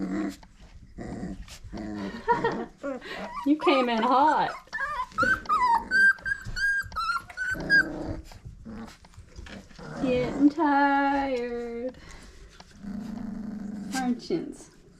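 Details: Five-week-old Old Family Red Nose Pit Bull puppies, offspring of Abby and Ragnar, indoors: long, high, wavering whines and squeals, stretches of rapid yapping, and low growls, with a person's voice now and then.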